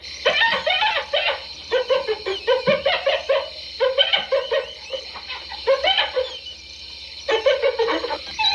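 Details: Hyenas giggling in repeated runs of rapid, choppy, nasal notes, each burst lasting about a second with brief gaps, the cackling continuing almost without pause to the end.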